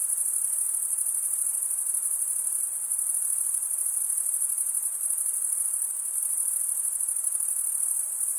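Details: Continuous cricket chirping made by stridulation, the wings rubbed together: a piercing, high, even buzz-trill of tiny rapid pulses, with slight swells in loudness and no other sounds.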